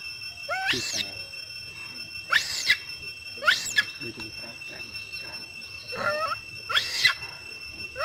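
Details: A mother monkey gives loud, strange calls, possibly to alert other monkeys to something she saw. Piercing upswept shrieks come roughly every second or so, with low murmuring notes between them and a constant high hum in the background.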